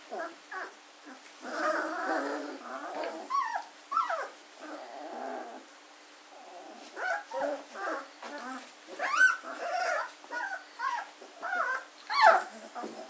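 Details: German Shorthaired Pointer puppies, 14 days old, Katelands gundogs, 24 August 2016; scattered squeaks and whimpers, some sharp rising yelps, with quieter murmuring and shuffling between calls.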